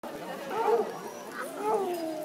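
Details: Floppy-eared Basset Hound at a best-howl contest in Legion Park, Woodburn, Oregon, on a rainy Sunday afternoon, 17 July 2011; two wavering, mid-pitched howl notes rise and fall in succession over a steady outdoor background.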